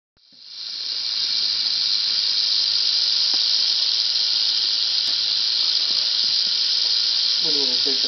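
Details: Angry female Southern Pacific rattlesnake, Crotalus oreganus helleri, caught on asphalt near Whitewater, California, about 30 minutes after sunset at roughly 85 °F; a steady, hissing high buzz rattle starts sharply and holds without pause, with faint voices near the end.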